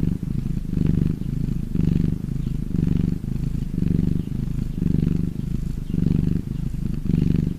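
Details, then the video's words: Domestic cat purring when happy: continuous low rattle-like hum with alternating stronger and softer breath phases, about eight cycles close to one second apart, heard near and clean. "CAT PURRING SOUND"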